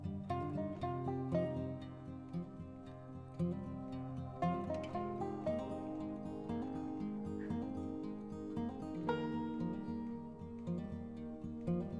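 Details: Gentle instrumental music with plucked guitar-like strings and sustained tones plays throughout; no animal sound is heard.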